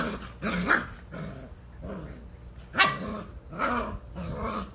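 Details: Six-week-old Vizsla puppies from one litter climb over a person's lap in the morning, giving short, squeaky yips and whines with a few low grumbling notes between.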